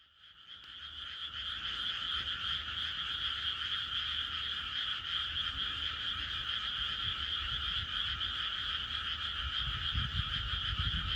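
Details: Frogs calling on a peaceful night in the countryside: a dense, unbroken chorus of fast pulsing trills that fades in over the first second and holds steady, with a faint low rumble underneath.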